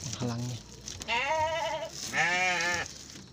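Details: Garut sheep bleating in a pen as a ewe gives birth to triplets: a brief low voice at the start, then two wavering, nasal bleats of under a second each, the second higher and brighter.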